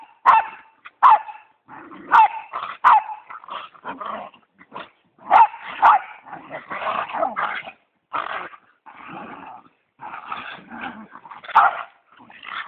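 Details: Westie and pit bull playing together after Thanksgiving dinner: short sharp barks and yips mixed with throaty growling bursts, coming in uneven clusters with brief pauses between.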